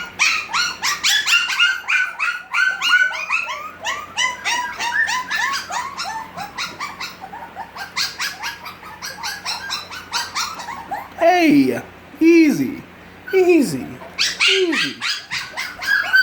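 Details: Six-week-old puppies of a litter, several together, giving a dense chorus of high, squeaky yips and whimpers in quick overlapping bursts, then a few louder descending whines near the end; low steady hum beneath.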